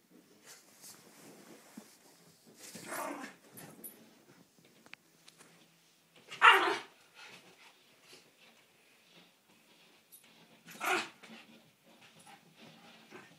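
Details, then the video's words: Miniature schnauzer indoors barking at a window cleaner; three short loud bursts of barking near 3, 6.5 and 11 seconds with quiet room noise between. "Miniature schnauzer attacks window cleaner 2.0"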